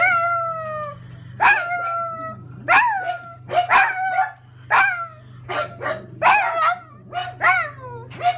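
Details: Pug reacting to a home grocery delivery arriving: drawn-out howls with harmonic tones, sliding downward, alternating with sharp rising yelps and barks in rapid bursts, over a steady low electrical hum.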